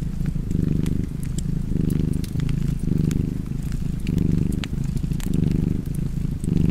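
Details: Deep, even purring from a cat by a fireplace, breathing in and out in rounded swells of about a second each, with bright crackles from burning logs scattered through.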